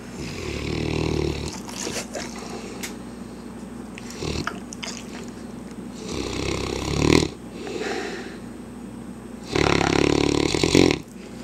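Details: Hamish, a mastiff, snoring while asleep indoors: rough, low rumbling breaths in bursts about every three to four seconds, with louder snorting inhales near the start and end and quieter breathing between.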